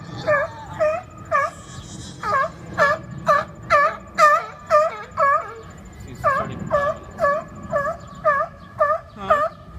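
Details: Seals arguing with one another over a spot on the rocks, giving strange repeated yelping calls, about two per second, each a short harmonic bark with a dipping pitch, in steady bursts with brief pauses.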